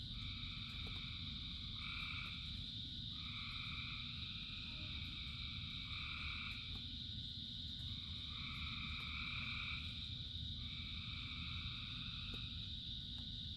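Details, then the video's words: A rain-soaked frog chorus of thousands singing. Nasal two-pitched calls, each about a second long, come roughly every one to two seconds above a continuous high-pitched trill. A heavy, even hiss of rain fills the low end. "Frogs in Rain 2 Hours of Frogs, Thousands of Frogs Singing"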